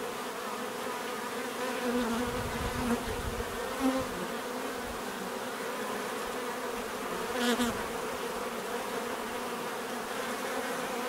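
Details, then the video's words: Natural buzzing of bees: a constant swarm hum with a few louder passes near two, four and seven and a half seconds, one brief sharp broadband tick around seven and a half seconds. "bees therapy relaxing natural buzzing sound"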